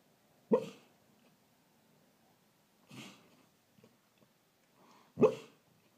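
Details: Dreaming greyhound Truly, a rescue dog, gives muffled sleep woofs: a sharp soft bark, a breathy quieter puff a couple of seconds later, then another clear woof near the end, with quiet between.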